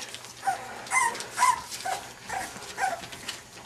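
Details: Five-week-old English Bulldog puppies, champion sired, give short, high, whining whimpers, repeated about twice a second in uneven bursts, with a faint hiss of room noise behind them.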